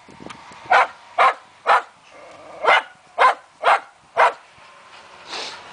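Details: Fox terrier hunting wild boar, barking in sharp, broadband yaps repeated about twice a second, with short pauses between bursts and a softer sound near the end.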